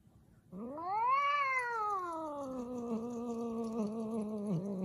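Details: Domestic cat giving a long drawn-out meow, rising quickly to a high peak then sliding slowly down into a low, wavering yowl lasting about four seconds, in a quiet indoor room.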